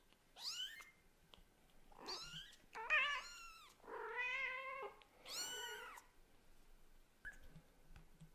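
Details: Scottish Fold and British Shorthair kitten talking hard to its mother cat: a rapid run of about six bright, wavering meows, some short and chirpy, others longer and bent downward, over a quiet indoor background.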